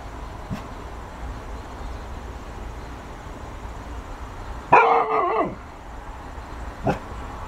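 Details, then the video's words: A Golden Retriever barking at a ball gives a single loud, harmonic bark that wavers in pitch before dropping away. "Golden retriever barking at a ball."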